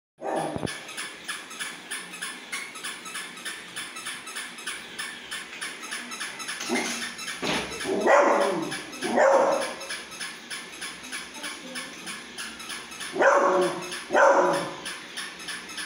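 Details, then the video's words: A Pug-Beagle cross dog barks in reaction to a toy dog: about five sharp barks in two pairs and a single, spaced unevenly, over a steady rhythmic mechanical ticking from the toy. "Cute Pug Beagle 🆚 Toy Dog"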